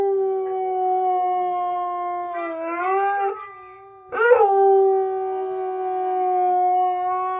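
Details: A female Siberian Husky howls in long, steady, mournful tones with rising, wavering breaks, reacting to howling, squeaky toy and melodica sounds.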